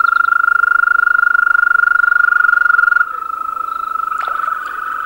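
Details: European green toad concert: a loud, even, continuous rolling trill that dips slightly in volume midway, then continues as a second overlapping trill, with a brief crackle near the end.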